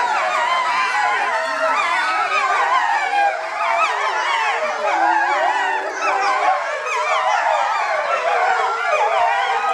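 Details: Timber wolf pack at Higashiyama Zoo, a family of parents and offspring born 2010 and 2011, in a group howling session; many long, wavering voices rise and fall together, layered and unbroken, with one low steady tone midway.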